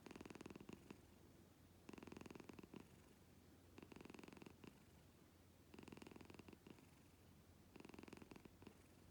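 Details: Domestic cat purring loudly indoors, compared to a husband's snoring; rhythmic rumbling purr in surges about every two seconds, each burst a dense pulsed buzz with quieter breathing gaps between.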